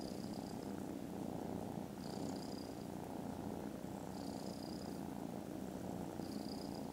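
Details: Snoozing foster kittens, contented after lunch on 18 December, keep up an unbroken low buzzing purr. A thin, high, whine-like tone returns roughly every two seconds above it.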